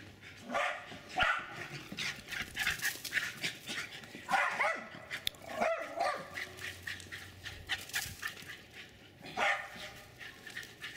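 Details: Jack Russell terriers Jasper and Jaclyn chase each other along a worn path in a Lenexa, Kansas backyard, with Jasper barking. Scattered sharp barks ring out every few seconds over steady rustling and running noise.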